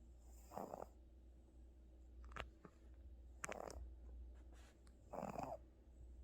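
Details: Sleeping pet cat Gucci, tired after going to the hospital, gives three short raspy snores spaced one to two seconds apart, with faint clicks between and a low steady hum throughout.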